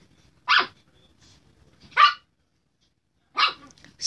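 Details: A Chihuahua gives sharp, high-pitched yaps, spaced irregularly every second or so, while harassing a Redbone Coonhound.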